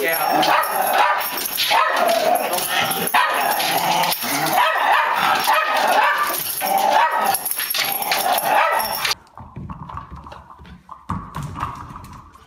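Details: Puppy giving repeated short, sharp barks and yips in rapid, uneven bursts over loud broadband noise, quieter after nine seconds with scattered yips and background voices.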